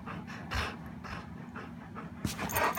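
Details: Dog that no one will play with, panting rapidly in short breathy bursts about every half second, soft and airy, with low room rumble beneath.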